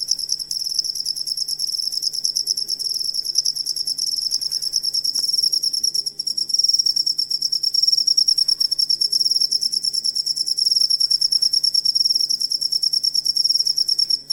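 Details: Cricket chirping, recorded as a master sound for training songbirds: a rapid high-pitched pulsed trill repeated about three times per second, with a second higher band, running continuously throughout.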